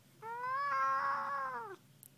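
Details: Talkative pet cat, said to dislike penguins, utters a loud drawn-out meow lasting about one and a half seconds, steady then slightly rising and dropping at the close, rich in overtones; indoors, owner speaking around it.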